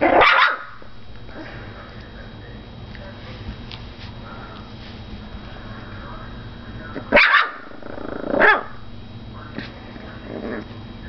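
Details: Foster puppy barking: a sharp bark at the start, then two more short barks near seven and eight and a half seconds, separated by quiet low background hum.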